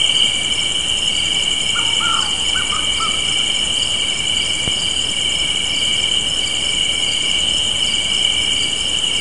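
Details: Crickets chirp in a constant high trill on a spring evening porch. A pulsing upper layer runs throughout, a few faint lower chirps sound briefly early on, and there is one soft click midway.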